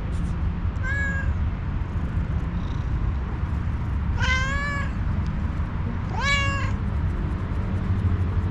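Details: Stray one-eyed tuxedo cat, homeless, angry and hungry, meows three times, one brief cry followed by two louder drawn-out meows a couple of seconds apart over constant low-pitched outdoor hum.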